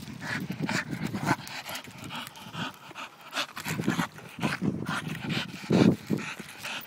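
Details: Pet Staffordshire bull terrier being a pain, making low grumbling growls and huffing noises in uneven bursts, with a louder moaning outburst near the end.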